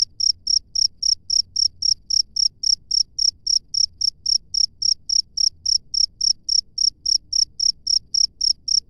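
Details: Cricket in the wild giving a fast, even train of shrill chirps, nearly four per second, sharp and high-pitched over a quiet low background hum.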